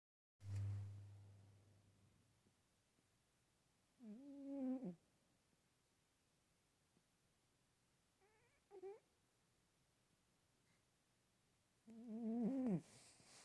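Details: A chubby pet cat snoring indoors: a low hum at the start, then nasal, wavering tonal snores about every four seconds, each around a second long, with quiet breathing between.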